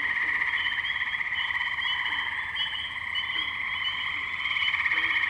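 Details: Many tree frogs calling together at a wetland in Firestone Park, Columbiana, Ohio, on May 6, 2023, Zoom H2n recorder; a constant high, pulsing trill chorus with rapid overlapping peeps throughout.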